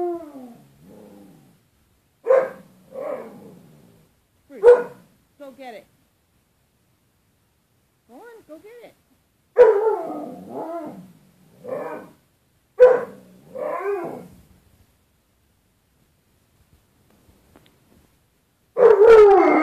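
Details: Pet dog Bruce Wayne vocalising at his reflection in glass closet door, 4.4.13: a run of short, bending, talkative yips and whines in uneven bursts, pausing, then ending in a loud rough outburst.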